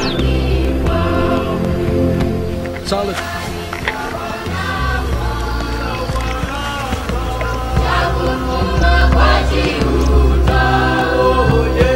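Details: Loud choral music with chanting voices over a steady, dense instrumental backing.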